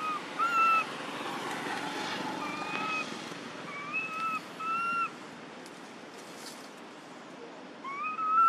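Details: Baby monkey in an archaeological park, separated from its friends and calling for its mother: clear whistled coo calls, level then slightly rising, repeated in short bursts of one or two, against a soft rural hiss.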